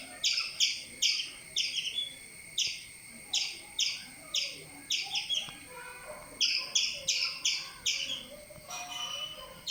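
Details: A squirrel gives sharp, high chirps in quick rhythmic bursts, repeated steadily, while a cat is trapped up a tree.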